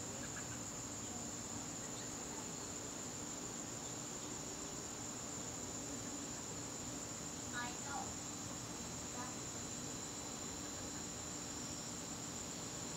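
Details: Garden crickets on an evening in September keep up a constant shrill, even-pitched trill, while a few brief, sharp chirps from another creature break in around the middle of the recording.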